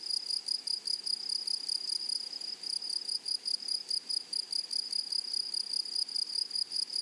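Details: Grasshoppers in a flowery meadow or prairie: a steady, high, shrill buzz pulsing in fast, slightly uneven bursts, about two or three a second, with a fainter higher overtone above it. No other clear sounds.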